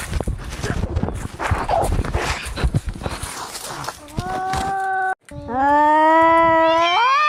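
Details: Domestic cats fighting angrily: rough scuffling noise gives way to drawn-out harmonic yowls, one flat and one rising into a strained, higher wail.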